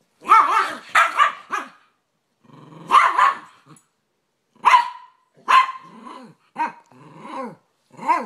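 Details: Play fight between a Rat Terrier and an American Staffordshire Terrier/Pit Bull; rough, growling barks in quick doublets and triplets, pauses between bursts, ending with clipped yips.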